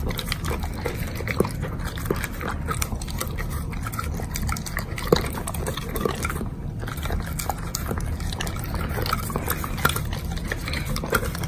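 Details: Doberman dog munching on a heap of bacon. The chewing is close and wet, with quiet smacks and occasional louder crunchy clicks against a dull, steady hum.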